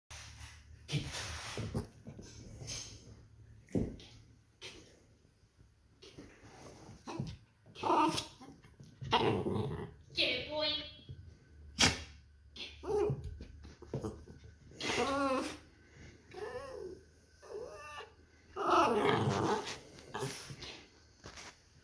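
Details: Playful poodle indoors in a small room, giving short rough growls and yappy barks in bursts, busiest near the middle and end, with a person's voice praising it between outbursts.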